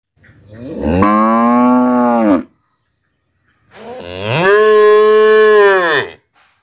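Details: Cattle in a rural village in Tripura, India, give two long, rich moos, each held steady before dropping away; possibly a mother cow calling her black calf, or the calf calling her.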